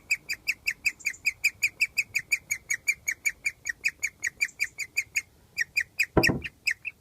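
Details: Pet guinea pig giving a rare chirping, singing noise that signals it is very happy, outdoors under its cage in summer; short high chirps about 2.5 per second with a pause and one brief broadband rustle near the end.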